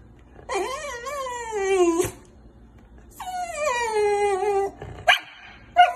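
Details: Pet dog giving two long, drawn-out whining howls, each sliding downward in pitch over about one and a half seconds, followed by brief sharp yips.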